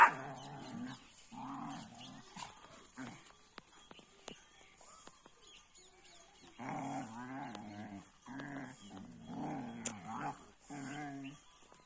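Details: Two German Shepherds fighting. Rough, deep growls come in bursts of a second or so, then a quieter gap, then a longer stretch of repeated snarling growls.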